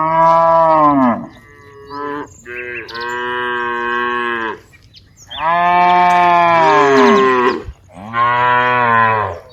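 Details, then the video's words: Several cows in a herd of dozens roaming a wide rice field moo in turn and overlap: five loud, drawn-out lowing calls, some bending downward in pitch, with short quiet gaps between them. "various sounds of Moo cows"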